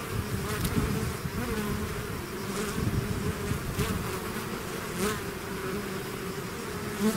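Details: Honeybee-type swarm pouring out of its hive, a dense continuous buzz of many bees with a steady hum band and overtones, passing individual bees flaring louder now and then, no other sounds.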